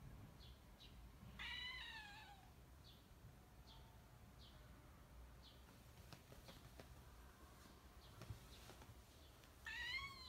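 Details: Kitten crying, eager for a decoration it cannot stop looking at, indoors. Two drawn-out, falling meows, near the start and at the end, with soft short chirps and faint clicks between them.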